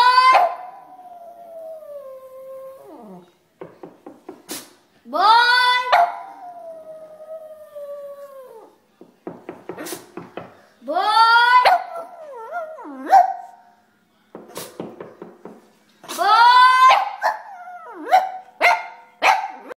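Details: A Boston Terrier reacting to the sound of knocking on the door gives drawn-out, wavering howls that slide downward, broken by short clicking yips.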